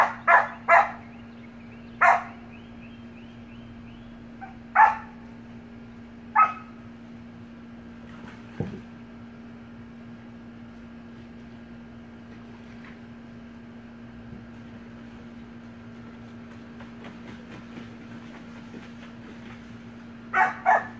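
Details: Playful Samoyed puppies in a pool give a run of sharp, high-pitched yaps and barks, scattered singly and in pairs across the first seconds and again near the end, with a steady hum and quiet splashing between.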